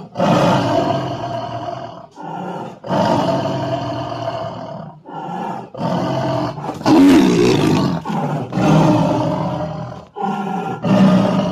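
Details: Tiger. A tiger gives a series of loud, throaty roars, each a rough, rumbling burst lasting one to three seconds. Brief pauses separate the calls, which swell and fade with a gravelly, growling texture.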